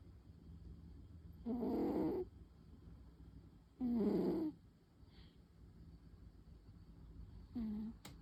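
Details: Pon, a female tabby cat, snoring softly while napping deeply in the afternoon, two drawn-out rasping breaths a couple of seconds apart, with a shorter third beginning near the end, over a quiet room hum.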